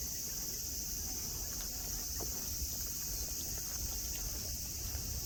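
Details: Continuous high-pitched cicada drone at Nara Park, Japan, on a clear day by grassy slopes with tame deer nearby; an even, shimmering hiss holds throughout over a soft low rumble.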